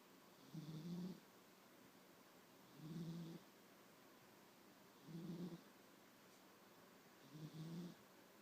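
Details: Nine-year-old house cat asleep and snoring, four low rumbling breaths spaced roughly every two and a half seconds, steady and gentle, with faint hiss between them and no other sounds.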